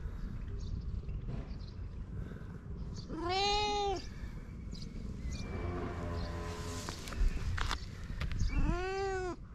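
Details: Fluffy cat in Japan meowing twice, short arched cries about five seconds apart, with a rougher, breathy vocal sound and rustling between them over low background noise.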